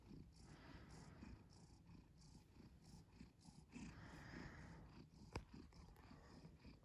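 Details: Purring cat heard up close: a continuous low, throaty rumble beating in quick regular pulses, with one sharp click partway through and a light background hiss.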